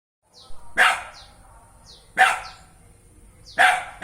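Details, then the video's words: Dog giving three loud, sharp barks, each a short burst spaced about 1.4 seconds apart, with fainter high squeaky sounds trailing after each bark. "Dog Sounds"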